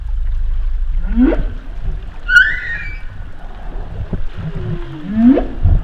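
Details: Humpback whale vocalizing underwater: two rising upsweeps climbing from low moans into higher squeals, between them a brief high whistled note, over a constant low underwater rumble.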